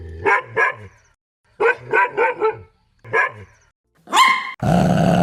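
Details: Dog barks taken from a compilation of various breeds, large and small: pairs and runs of deep barks with low rumbling undertones, then a high rising yelp and a burst of loud broadband noise.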